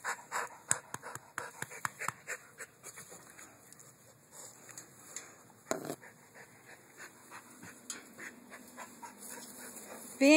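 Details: Luthor, a pit bull dog, panting in quick rhythmic bursts of breath, with scattered clicks and thumps of movement and a short high squeak near the end.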